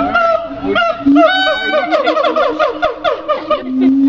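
A siamang gives loud, rich, honking calls that swoop up and down and quicken into a rapid series.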